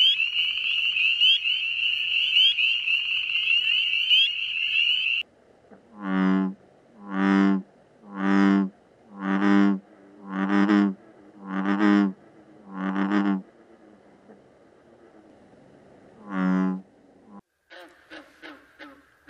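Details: Frogs or toads at night: a shrill trilling chorus gives way to a series of loud, low, nasal croaks about once a second, then a pause, one more croak and faint high clicks.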